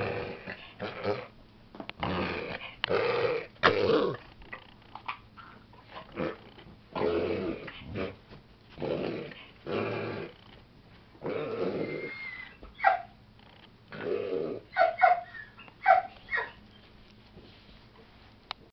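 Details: Indoors, a female pet dog makes odd sounds that concern her owner: a long run of rough, breathy snorts and grunts. They come roughly every second, then turn into sharper, higher squeaky bursts near the end.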